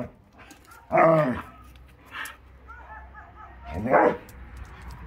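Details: Akita Inu puppies in yard play at the start of the warm season: two short, sharp rising yips about three seconds apart, with softer faint squeaks and rustling in between.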